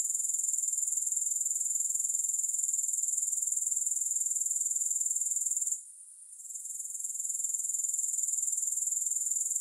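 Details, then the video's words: Grasshoppers trilling in a constant high-pitched shimmer, pulsing quickly and regularly, with a single short quiet gap late on before the sound rebuilds. No music. "Grass Hopper Sounds"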